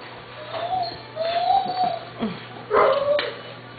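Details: Six-week-old Doberman Pinscher puppies whining: thin, drawn-out tonal whines that rise slightly and fall, followed by a sharper, higher yelp near the end, with a steady low hum underneath.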